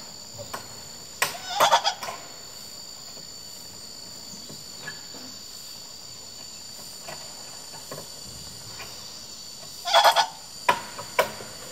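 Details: A rescued female douc langur, kept in a quarantine area at a rescue centre for health checks, calls to a friend she misses with two short bursts of rapid, gobbling calls over a steady insect whine.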